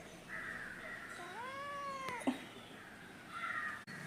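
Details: Angry pet kitten called Kunjan at home, giving one drawn-out meow that rises then falls gently, with a faint background tone and a brief click near the end.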